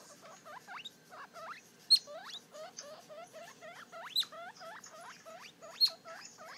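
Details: A three-day-old baby guinea pig, looking at its reflection in a mirror, gives rapid, high, upward-sweeping squeaks several times a second, with a few sharper loud peaks among them.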